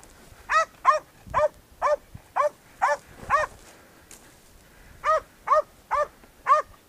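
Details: Podenco hunting dog baying a wild boar bedded in a ravine during a small-game hunt; loud, clear barks with arched harmonic bands, given in bursts of about two per second, a short pause, then another run.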